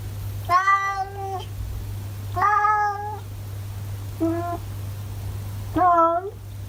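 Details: Talkative orange tabby cat from Japan, chattering: four separate harmonic meows about two seconds apart, the third short, the last rising and bending, with a constant low hum behind.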